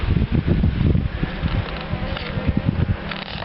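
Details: Dark honey bees in a top-bar hive during a brief September colony inspection, brood on three combs; low droning hum with pulsing bursts as combs are handled, faint music in the background.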